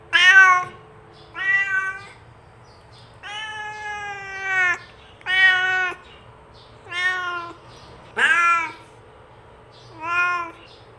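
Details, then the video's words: Cat meows used as a call to bring other cats near: eight harmonic meows, one long steady wail in the middle and a sharper downward-sweeping cry later, over faint indoor hum. "SUARA KUCING ASLI | PANCINGAN MEMANGGIL KUCING LAIN UNTUK DATANG MENDEKAT!"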